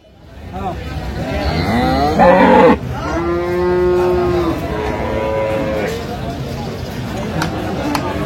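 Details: Dairy cow of an improved breed at Aftabganj cattle market (haat), Dinajpur, 17 June 2025: a loud, drawn-out harmonic moo holds steady for about a second, followed by fainter lowing, with market chatter and vehicle noise.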